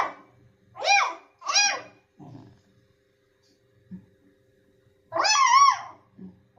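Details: Dog producing two quick, high, harmonic barks, then soft low grunts and a single long, wavering whine-like bark near the end; quiet room background.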